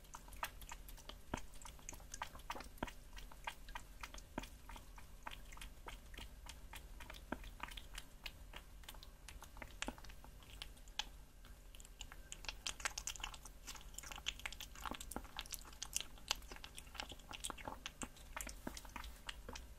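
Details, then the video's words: A cat chewing raw meat, making dense irregular crunches, bites and smacking clicks that come in busy clusters over a low steady hum. "CAT EATING SOUNDS | EATING RAW MEAT"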